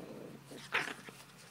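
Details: One brief, sharp bark during play between a 12-week-old chocolate brown Toy Schnauzer puppy and a 5½-year-old salt-and-pepper Miniature Schnauzer, with soft rustling around it.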